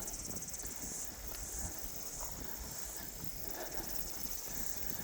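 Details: Summer cicadas at Bell Block Beach, New Zealand, recorded on a dog walk: a steady, high, rapidly pulsing buzz runs throughout beneath low wind rumble and walking noise.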